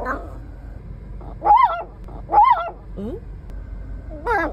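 A Bichon Frise makes odd, whiny, arching vocal sounds, rising and falling in pitch in short bursts.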